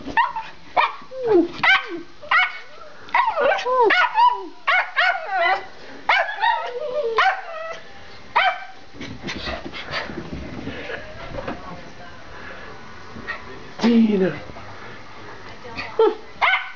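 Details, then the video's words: Pair of Schipperke dogs barking as they run through a house; rapid volleys of yappy, harmonic barks, dense at first then thinning out, with some clatter and movement noise between bursts. "Schipperkes Barking"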